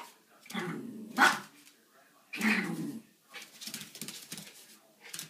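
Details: Two Schipperke dogs playing indoors in the early morning around 4 am give sharp, harsh barks in three loud bursts over the first three seconds, followed by softer yips and scuffling in a small room.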